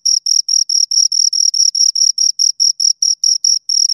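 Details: Pair of crickets stridulating: even, rhythmic chirps of shrill pulses repeating a little over twice a second, with brief gaps between them, against complete silence.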